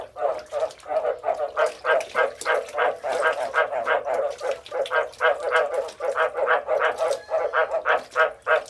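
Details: Frogs croak in a rhythmic chorus, with bursts of harsh, nasal calls rising and falling in loudness roughly three times a second.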